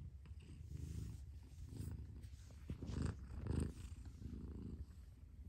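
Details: Mother cat purring in a deep continuous rumble, with soft swells where breaths rise and fall, including a louder surge around the middle.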